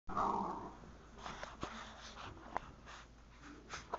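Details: Two Wheaten Terrier dogs playing indoors in a house; a low rumbling growl opens, followed by quieter scuffling, snuffles and short sharp clicks or thumps of play.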